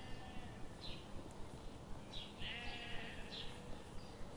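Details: Sheep grazing in a forest under the morning sun give a wavering, harmonic bleat near the middle. Short sharp ticks repeat steadily throughout over a constant low rumble.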